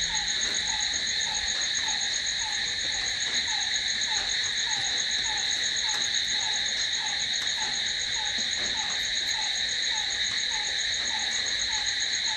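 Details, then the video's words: Unbroken high trilling of crickets after dark, layered bands of shrill buzzing, plus a regular lower falling chirp repeating several times in quick succession. "Cricket sound🦗🦗🦗to sleep... Try it.... Night's in hands of cricket"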